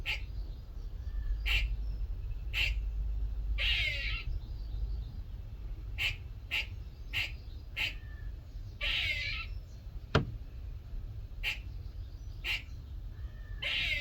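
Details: One morning in a workshop, a small squirrel repeats brisk barking chucks mixed with three longer, buzzy, scratchy calls. A single sharp knock sounds near ten seconds over a steady low hum.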